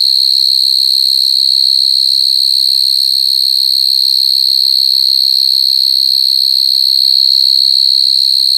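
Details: Steady piercing trill of crying coconut crickets, unchanging throughout, over faint, regularly spaced low pulses.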